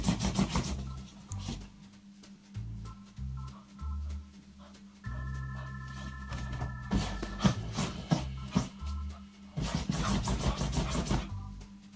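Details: Organ and keyboard music with a steady beat and sustained chords, no animal voice heard.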